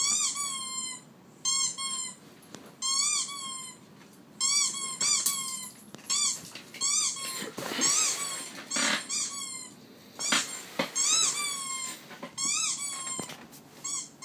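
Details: Repeated short squeaks from a pet dog, about a dozen bright nasal bursts spaced roughly one to two seconds apart, some bending upward at the end, with a few soft clicks in between.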